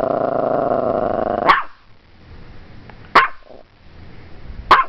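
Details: Morkie named Strudel barking at the camera, three sharp barks about one and a half seconds apart after a loud steady droning noise at the start, quiet room between barks.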